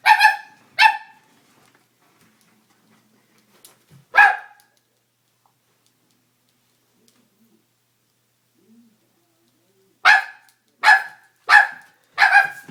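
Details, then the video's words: Pranked Doberman, scared, barks twice, once more after a pause, then after a long quiet stretch lets out four rapid barks in a row. "Funny Doberman Prank | Dog Prank | Dog is Scared as Hell"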